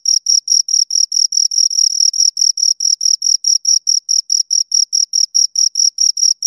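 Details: Chirps from two crickets repeat in a tight, even rhythm of roughly four shrill pulses a second, high-pitched and scraping, with no other sounds behind them.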